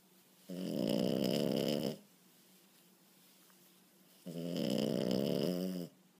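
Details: Sleeping French Bulldog pup on the couch, snoring loudly: two drawn-out, throaty, rattling snores of about one and a half seconds each, nearly four seconds apart, with near silence in between.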